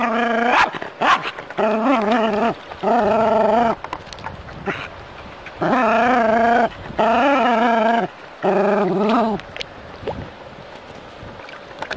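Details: Jack Russell Terrier playing with water from a hose. It gives loud, drawn-out, wavering whine-barks about a second long each, roughly six bouts separated by short gaps, with splashing and hissing water noise between.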